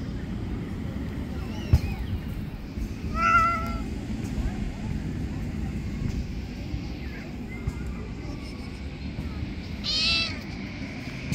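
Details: Young street kittens clambering onto a lap let out a couple of brief, thin mews, one near the start and a rising one toward the end, set against constant low-pitched background hum.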